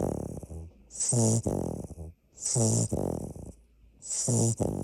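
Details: A sleeping Labrador puppy, the largest of the litter, snores in steady rasping breaths, each buzzing snore followed by a breathy hiss.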